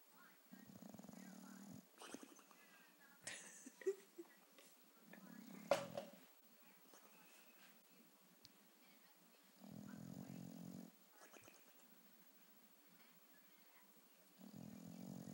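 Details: Bulldog asleep on a couch indoors, snoring comically: low, rasping snores about a second long, recurring every four to five seconds with quiet pauses between, plus faint clicks and rustling.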